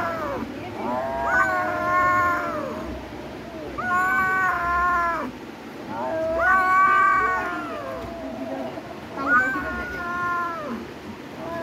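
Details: Cat meowing in a steady sequence, a plaintive, arching cry roughly every two and a half seconds. Each call climbs, holds and then falls away, with soft low background noise between calls.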